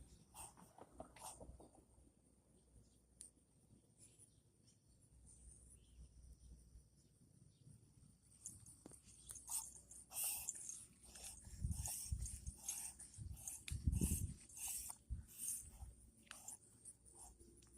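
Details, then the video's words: Chihuahua pup in a reverse sneezing episode, an occasional event for this dog: after a quiet start, a run of harsh, snorting gasps pulses roughly once a second through the second half, over a steady faint high-pitched hum. "Reverse Sneezing Chihuahua/What It Can Sound Like"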